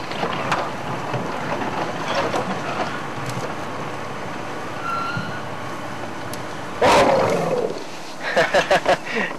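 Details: An African elephant, likely a curious young bull only six or seven feet from the car on a sunset drive among marula-eating elephants, gives a loud harsh rumbling roar under a second, then short pulsed grunts, over engine hum and a man talking.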